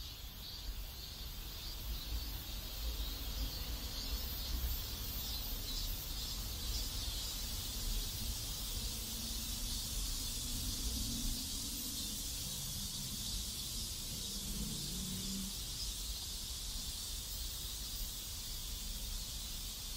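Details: Cicadas in a South Korean neighborhood: a steady, high-pitched buzzing drone with faint pulsing, lasting the whole stretch over a constant low rumbling background noise.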